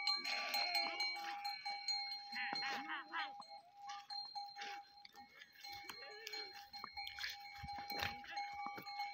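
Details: Goats herded with sheep in the Thar desert of Tharparkar: several short nasal bleats amid clanking bells, overlapping voices and a constant high tone.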